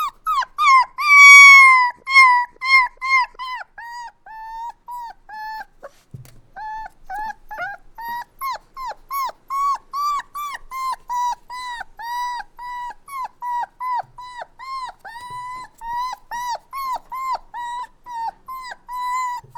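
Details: Puppy crying sounds: a louder, drawn-out whining cry at the start, then steady trains of short, thin, downward-bending whimpers repeated about two or three times a second, clean with no other sounds.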